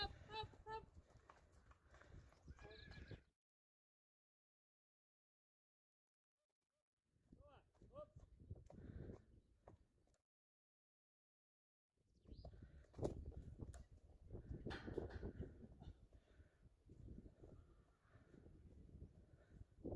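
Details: Friesian horses being led to pasture to join the rest of the herd, April 20, 2019; bursts of wavering, harmonic whinnies amid hoof clip-clop and people talking, separated by cut-out silent gaps.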